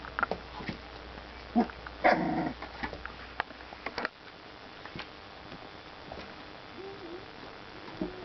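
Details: Four-week-old puppies from a 2009 litter tussling together in play, giving short growls and yelps scattered through the clip, one louder burst near the middle, with thin squeaky whines near the end.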